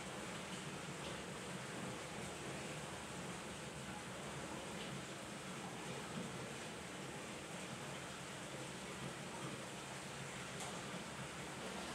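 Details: Steady broadband hiss like running water or machinery, with no animal voice.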